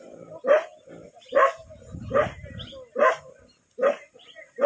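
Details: Village desi dogs fighting in India: loud harsh barks repeated roughly every 0.8 seconds, each a short burst with a strong tonal core, with a lower rough growl between the third and fourth barks and faint human speech.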